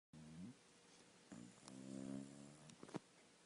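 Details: Sleeping dog snoring indoors: a short low, throaty snore, then a longer droning one that swells and fades, ending with a quick snuffle.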